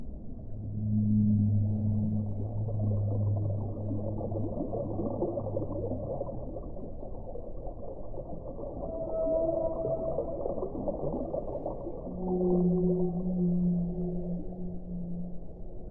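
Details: Whale song: long, low moaning tones with stacked harmonics, a steady drone early on, a higher wavering note near the middle, and a renewed low moan toward the end over a constant underwater hiss.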